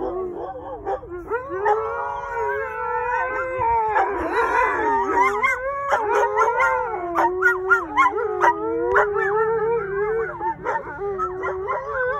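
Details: Chorus of wolfdogs and a husky answering coyote calls, which fell silent afterward: several overlapping wavering howls layered at different pitches, dense and continuous, with quick yips and bends scattered throughout.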